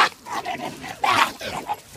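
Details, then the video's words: Jack Russell terrier fighting a Siberian Husky: rough harsh snarls and yelping bursts in quick succession, a louder burst in the middle, with a person exclaiming nearby. "Jack Russell fighting with Oscar Husky sibirya kurdu kavgasi"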